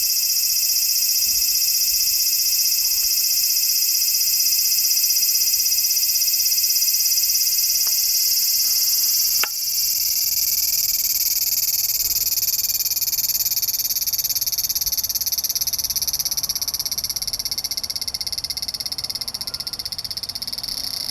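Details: Large brown cicada calling on 3 September 2015, when fewer were left as September began: a steady, dense sizzling drone held high and unbroken for the whole stretch, with one brief click midway.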